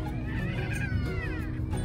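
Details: Newborn French Bulldog puppies just delivered by Caesarean section at a vet clinic in the Philippines. High, wavering whining cries bend up and down and overlap one another above a steady low hum.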